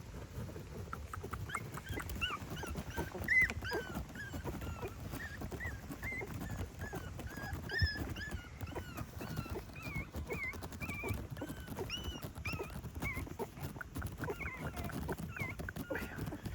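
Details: Family of eight dogs met beside a river while fishing; many high, thin whimpers and yips rising and falling, overlapping almost continuously through the clip, over a low rumbling background.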